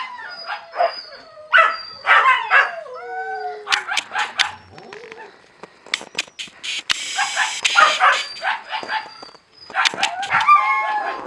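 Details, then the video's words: Several Siberian Husky puppies eating, giving high whiny yelps and short rising-falling whines among sharp clicks and smacking sounds, with brief pauses between bursts. "Омномном ))) щенки хаски"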